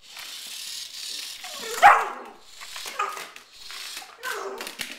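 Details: Female Border Collie indoors making long whining, howl-like vocalisations broken into several bursts, one sharp louder yelp near the middle, sounding almost like talking.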